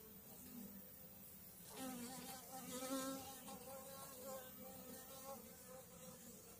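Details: A swarm of honey bees clustered on a frame of food and a frame of brood, May 2022, makes a loud, rich buzzing hum with many stacked harmonics swelling after a sharp knock.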